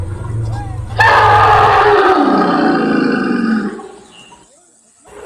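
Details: An elephant in a tea garden at Kathiyatoli Rengbang bursts into a loud, harsh roaring call that slides downward in pitch over about three seconds.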